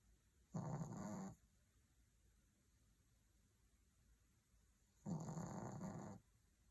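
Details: Maltese in deep sleep under a blanket, snoring softly: two low, raspy snores, each about a second long, spaced roughly four seconds apart with quiet breathing between, over a faint constant high hum.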